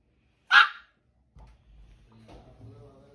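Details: A 2-month-old Shih Tzu puppy gives one short, high, sharp bark, its first.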